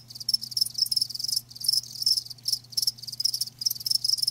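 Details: Crickets, live, trill in dense high bursts of rapid pulses, each burst lasting under a second and separated by short pauses, a soft low hum underneath.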